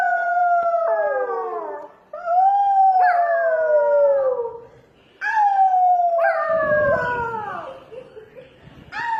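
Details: Dog making funny sounds: long howls that slide downward, each lasting about two to three seconds, with rich overtones, repeated roughly three times with short pauses between them.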